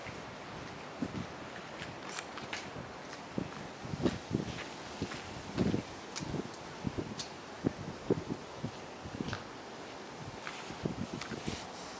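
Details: Footsteps and rustling leaves outdoors, with faint background hiss and no animal voice.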